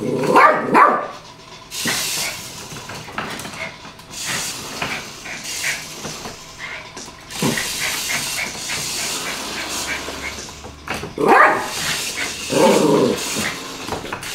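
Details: A Yorkshire Terrier playing with a toy car gives sharp, high yapping barks in two bursts, with rattling noise between.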